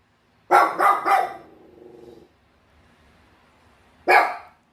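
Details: Pet Bichon Frise dog, 806 days old, gives three rapid sharp barks followed by a short low growl, a pause, then a single loud bark.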